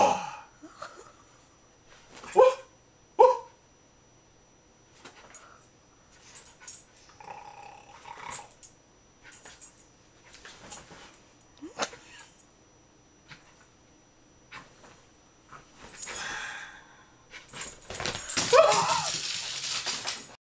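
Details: Jack Russell Terrier Agnes, a female, playing wildly and snapping at a companion: scattered short growls and sharp barks spread over the recording, roughly seventy a minute at irregular spacing, ending in a loud noisy scuffle.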